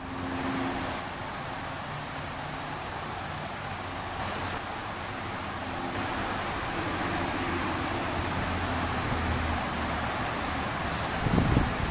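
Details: Steady road and vehicle rumble with broadband hiss fills the recording, a faint low hum early on and a brief thump near the end, with no animal calls.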